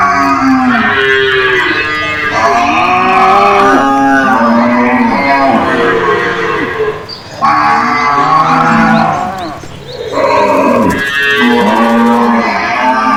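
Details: Cows in a cage answer one another with a near-continuous chorus of loud overlapping moos, wavering and falling in pitch, with brief pauses around the middle.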